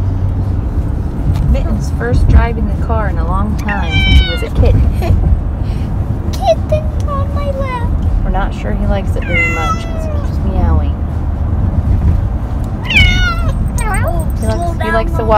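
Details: Male cat on his first car ride in a long time since kittenhood, sitting on a lap and meowing repeatedly: many short, wavering, rising-and-falling meows scattered throughout, with people talking and road noise from the moving car.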